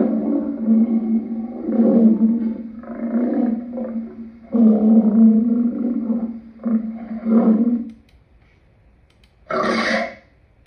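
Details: Lion producing rough, low growling roars in four or five pulsing bursts over about eight seconds, then silence broken by a single short harsh noise burst.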